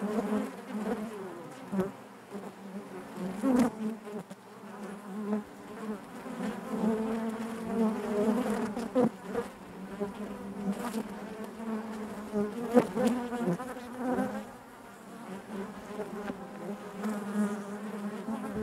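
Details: Massed honey bees droning within the hive, a thick humming texture that rises and falls over time, dotted with scattered clicks and brief louder buzzes from individual bees.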